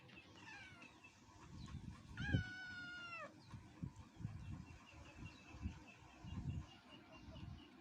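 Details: One long, drawn-out meow from a rural mother cat with her kittens at feeding time, held level for about a second before dropping at the end, over steady low rumbling noise and scattered knocks.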